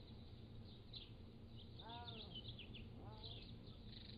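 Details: Pallas's cat kittens aged 3 to 7 weeks, filmed growing up by a motion-activated trail camera; two arched, harmonic mewing calls, the first near two seconds and the second about a second later, over steady high chirping of background birds.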